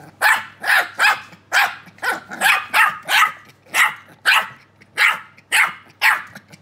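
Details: Keeshond puppies, two small ones talking to each other, give a string of about fourteen loud, bright yips. Each yip is distinct and comes at a fairly even pace.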